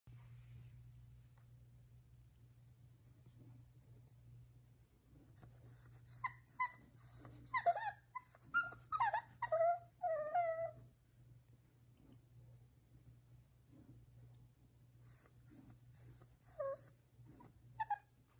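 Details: A Boston Terrier puppy whines in short, high, wavering bursts, letting his owner know he wants attention.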